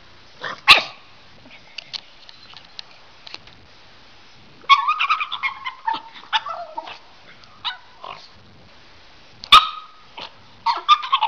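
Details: Pugs from a compilation of 'talking' pugs make short yips, grumbles and whiny mid-pitched vocal bursts, scattered with pauses and quiet gaps, then a busier run of chattering sounds in the second half.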